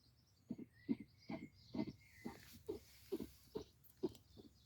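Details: A female European hedgehog (Erinaceus europaeus), asleep by day in a leaf-filled tree trunk in a garden, snores in soft, rough snuffles, about one every half second.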